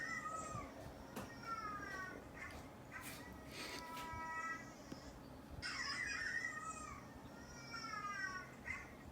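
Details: Pet cats responding to dog barking played indoors; a few drawn-out meows with rich harmonics and falling tone, separated by pauses, over a faint room hum and soft clicks.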